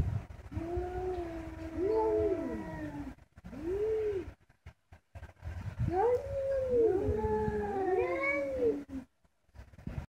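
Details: Domestic cats talking to each other: long, wavering, moaning yowls that rise and fall, with two voices overlapping and answering in drawn-out, howl-like calls separated by brief silences.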